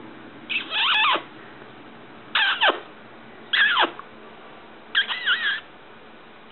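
A small Yorkshire terrier gives high, squeaky whining yelps that slide downward, in short bursts every second or two.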